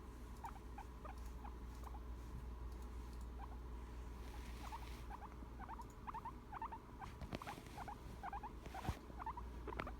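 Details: Relaxed guinea pig giving its contented happy sound, gentle squeaky chirps in loose repeated pairs, sparse at first then quicker, with some rustling and a low background hum.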